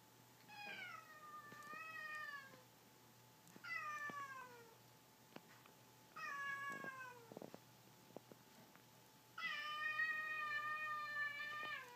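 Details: Cats in a friendly fight that began with slaps to the nose, giving four long, drawn-out harmonic meows with wavering, slightly falling pitch, each lasting one to two seconds, separated by short pauses and light bumping noises indoors.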